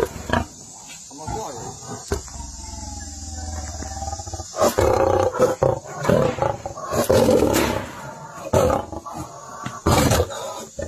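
A lion's deep, rasping roar comes in heavy, surging bursts, with some voices underneath.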